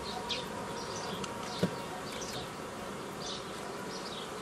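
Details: Honey bees humming as nucleus colonies are formed the old way from a previously gathered forager swarm, 15 May 2018; a dense, steady low drone with short chirping birdsong above and one sharp click.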